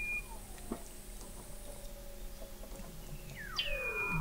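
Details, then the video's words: Weddell seals recorded 21 m below sea ice in McMurdo Sound, Antarctica, November 2017: a high flat whistle, a long falling glide, then a sharp high whistle sweeping downward, over low steady hum. "Song of the Antarctic Weddell Seal"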